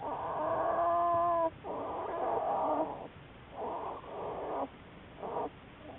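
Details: American black bear Juliet, part of a Wildlife Research Institute study, on March 1, 2014; a long, strongly harmonic, droning cry followed by shorter buzzy bursts that fade and fall quieter, amid constant hiss.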